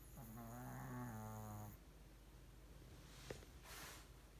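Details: Deeply sleeping Pomeranian called Ponmaru snoring resonantly: a level, droning, reedy snore that steps slightly lower midway and lasts under two seconds, followed by quiet breathing, a soft click and a brief airy rustle.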